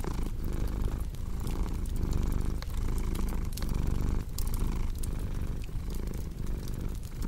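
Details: Continuous rumbling purr from a pet cat, rising and falling roughly every second as it breathes, beside a crackling fire with scattered sharp pops.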